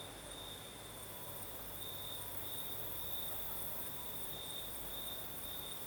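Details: Crickets singing at night in southern Crimea: a steady, high, unbroken trill with a fainter shimmer far above it, over a soft, hissing night breeze.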